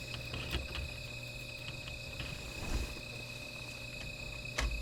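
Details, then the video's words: Insects calling at night beside a small fire: a steady, unbroken high-pitched ringing tone with fainter higher overtones runs throughout, over scattered crackles and soft low rumbling. "Sound of Insects"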